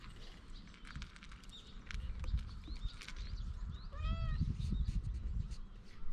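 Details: Unusually patterned stray cat pleading in cat language, then climbing onto a lap; one clear, arched, harmonic meow midway, over steady low rumbling, rustling and movement noise, recorded on a GoPro.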